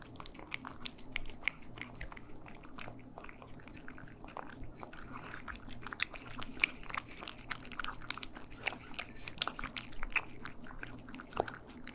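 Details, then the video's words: Cats eating, recorded in stereo indoors in a small room: steady wet chewing and crunching with sharp clicky bites scattered irregularly throughout, over a faint low hum. "ASMR Cats Eating"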